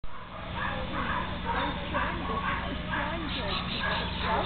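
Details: Young Mastiff cross Labrador Retriever, 12 months old, desexed male, playing with a ball; short barks repeated about twice a second, mixed with a person calling out and steady low background hum.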